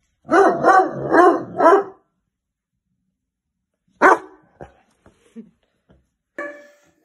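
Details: A Weimaraner puppy gives four quick, loud guarding barks, then a pause, a few scattered thumps and a final bark, alerting its owner to strangers as janitors throw snow from the house roof.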